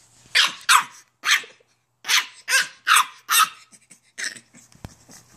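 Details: An 8-week-old female French Bulldog puppy fires off a run of shrill, raspy yaps, several close together, then fades into softer grumbles, telling off her large elderly Rottweiler sister; a person's voice is heard briefly.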